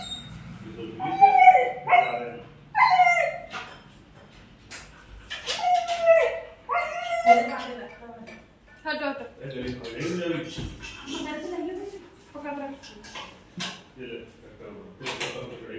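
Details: Siberian Husky reacting after being apart from its owners: drawn-out, wavering whines and howl-like vocal bursts that rise and bend in pitch, coming in several bouts with short pauses between them.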